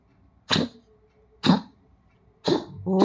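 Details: Dog indoors making repeated throaty 'khok khok' coughs, three hoarse bursts spaced about one second apart. A voice begins to speak as the last one fades.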